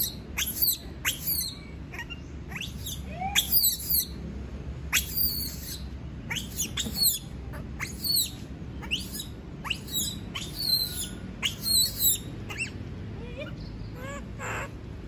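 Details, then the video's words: A monkey protests being left alone with a long series of shrill, falling shrieks, about one per second at first, then in tighter clusters, over a faint constant hum. "Sound of monkey scream doesnt want to be alone, suara monyet teriak tidak mau di tinggal sendirian"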